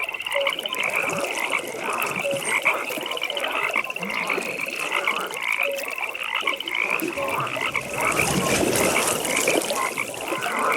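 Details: Frogs calling at a pond in a natural nighttime setting: a dense chorus of pulsed, rattling trills runs steadily high, while short mid-pitched croaks pop in at scattered moments beneath it.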